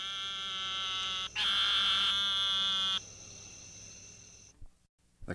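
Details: Eastern narrowmouth toad from a mixed chorus of eleven species, 1958 archival recording: two drawn-out, high-pitched nasal buzzes, the first about a second long and the second longer, followed by a quiet, hissy stretch.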